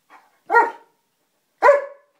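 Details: German Shepherd barking at home in answer to a spoken maths question, one plus one: two short, harmonic barks about a second apart, preceded by a faint soft yip, in a small indoor room.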